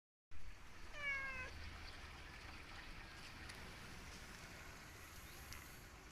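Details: Cat described as sad gives a single short, slightly falling meow about one second in, then falls silent over a steady hiss of background noise.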